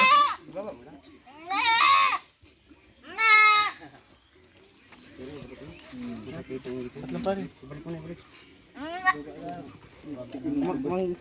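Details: Goat bleating while being given a vitamin injection; two loud, wavering, harmonic bleats early on and another near nine seconds, with people talking and laughing throughout.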